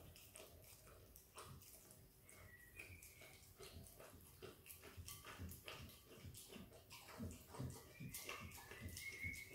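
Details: Peanut butter being licked and eaten by a happy female Australian kelpie x border collie puppy: quick moist smacks and chewing clicks about two to three per second, with brief thin squeaky tones now and then.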